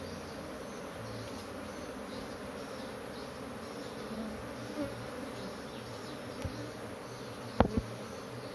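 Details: Noisy, agitated honey bee colony kept by its owner: a deep, continuous group drone of many bees, with a couple of soft knocks and a sharp double click near the end.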